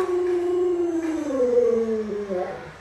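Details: Alaskan Malamute Luoluo howling at home as its owner lies sick: a drawn-out, clear tone gliding gently down, rising slightly, then dropping with a small wobble at the close.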